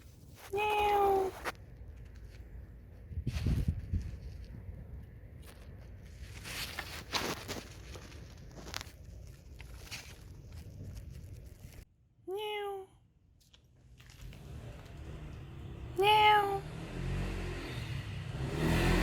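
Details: Stray neighbourhood cats filmed in 2019 on a Samsung Galaxy S9+: three separate descending meows, one near the start, one around twelve seconds and one near sixteen seconds, with footsteps, rustling and outdoor background noise between them.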